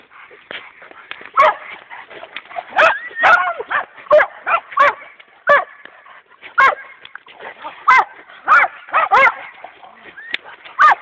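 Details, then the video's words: Two Dogo Canario dogs in attack training, both champions, barking and growling in short harmonic bursts, clustered in quick volleys with pauses between, a person's voice mixed in. "Dogo Canario Ultimate Selection - Atacking"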